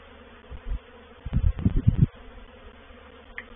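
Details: Honey bees of a reproductive swarm moving into a bait hive at Painted Peacock Manor on 04/07/21. Low droning buzzes in brief bursts, a short one near the start, then a denser cluster of buzzy passes over about a second before fading to quiet.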